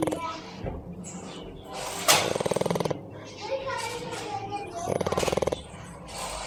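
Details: A sleeping pet dog, a male belonging to a young girl, snoring indoors: two loud rattling, pulsed snore bursts near two and five seconds, each lasting under a second, with people talking quietly in between.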